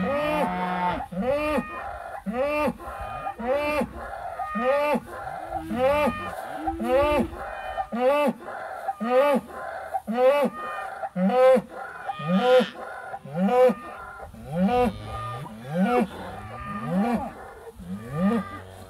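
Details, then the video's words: Agitated British White cattle herd reacting to an old cow hide on a hay ring, July 2013, phone recording: many short rising-falling bawls, roughly one a second, overlapping from several animals throughout. "British White Cow Herd Finds the Hide"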